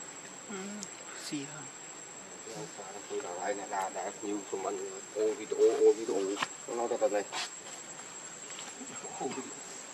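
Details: Hungry baby monkey crying to beg for milk from its mother: a run of short, wavering, harmonic whimpers that grows louder and more insistent in the middle, over a steady high electronic whine and faint background noise.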